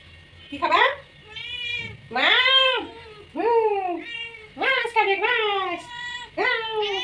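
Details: Repeated meows from a hungry house cat, each call rising then falling in a bent arc, some short and abrupt, others longer and whining, given in quick succession with brief pauses.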